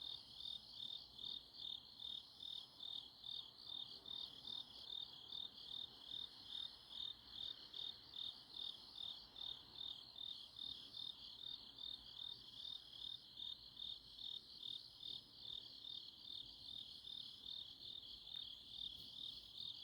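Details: Grass insects on an autumn night in Chuncheon, South Korea, near Kangwon National University, give a steady high chirping chorus, pulsing about two and a half times per second with no pauses over a faint background hiss.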